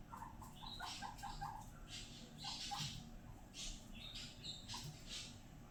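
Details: Pet guinea pig Fiddy enjoying floor time and whistling, chutting happily: a quick run of short repeated squeaks early on, then scattered brighter chirps over steady room hiss.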